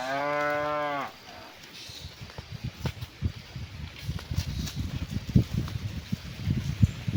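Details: Cow mooing while cows are herded home to the barn in the afternoon, calling to the herd: one steady, low, droning moo of about a second, followed by soft irregular thumping footsteps on the ground.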